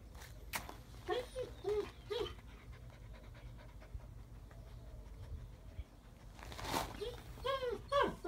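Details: Two-month-old Rottweiler puppy giving high, arched whimpering whines in short clusters of three or four near the start and again at the end, with quiet rustling and soft breathing noises in between.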